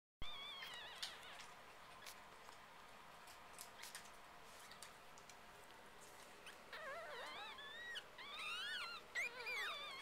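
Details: Litter of female Biewer Yorkshire Terrier puppies indoors: thin, high, wavering squeals and whines, with scattered soft whimpers early on, then several puppies squealing over one another in the final seconds.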